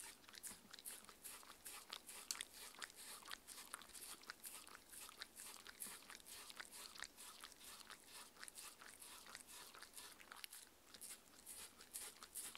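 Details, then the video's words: Indoor dinner of a six-year-old female Shetland Sheepdog named Mindy on a raw food diet; repeated crunchy bites and lip smacks continue for over twelve seconds at an uneven, busy pace, with a quiet background. "Dog eating and drinking Sounds"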